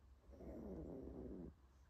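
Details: A little puppy napping. One soft, rough, droning snore lasts about a second, low and breathy, then stops. Quiet room with nothing else clearly heard.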